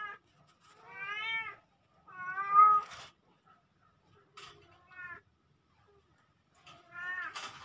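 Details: Pair of kittens recorded on October 17, 2024: clean, bright meows with rich harmonics, several drawn-out and wavering, separated by near silence and a few faint clicks.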